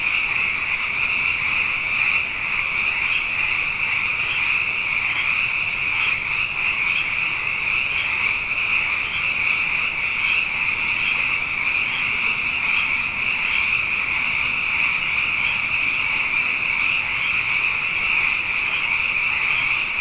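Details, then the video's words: After two wet years in a row, a mass of frogs fills the Hawaiian night with one unbroken chorus, many high voices overlapping into a bright, pulsing drone with faint rhythmic beats. "Frog Songs: Na Mele o nā Paloka"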